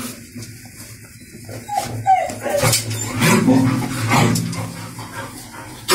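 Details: Labrador Retriever puppies in Salem, a brief run of soft whimpers and thin whining yelps over low room noise, with some murmured speech in the background.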